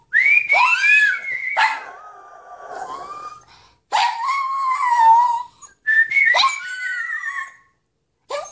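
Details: Toy Fox Terrier. A Toy Fox Terrier howls in three or four long, sustained bursts, each starting with a sharp yelp and sliding into a quavering, whistle-like tone. Brief pauses separate the howls.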